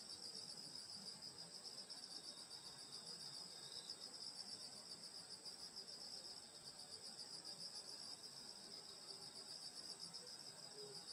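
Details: Grass insects singing on a summer night in the countryside at a grandmother's house: dense, continuous high shrill bands of pulsing trills, steady throughout, with a faint low rustling background.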